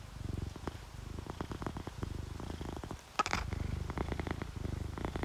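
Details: Content sleeping cat, tabby or calico, gives a quiet rhythmic purr, low buzzing pulses in breath-length waves, broken by one sharp click near the middle before the rumble resumes.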